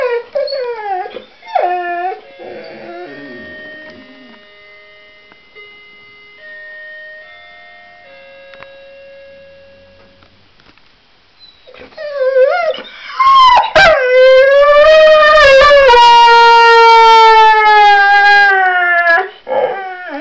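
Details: Honey the dog sings: brief howls open, then a sequence of steady keyboard notes plays, and finally a loud, long, sustained howl rises and holds for about six seconds before fading.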